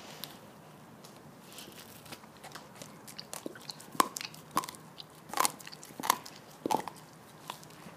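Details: Bone-chewing by Lilly, a Border Collie/Labrador mix bitch kept at farm Stallgespräch Alfter, recorded November 2015; soft gnawing builds into a run of loud, hard bites and crunches spaced roughly every half second to second.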